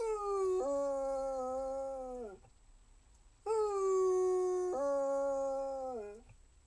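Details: Two drawn-out howls from a Basset Hound, each starting on one pitch, stepping to a steady held tone, then sagging downward at the end, separated by a one-second break.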